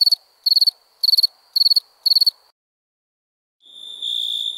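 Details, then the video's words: Night-time cricket chirping: five crisp, high pulsed chirps at an even pace, then a pause of silence, followed by a softer, continuous high trill fading in at the end. "Relaxing Chirping Crickets"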